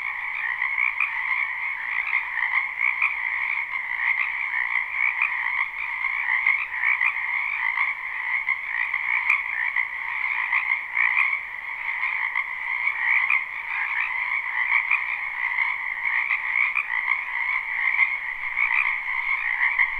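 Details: Wetland frogs in spring croaking en masse, live with no looping: a seamless, buzzing chorus of countless overlapping calls in two tonal bands, steady and loud, with one faint click midway.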